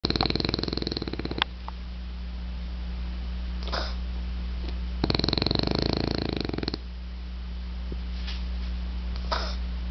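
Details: A male French Bulldog snores while sleeping, in long, rattling, pulsed breaths separated by quieter pauses.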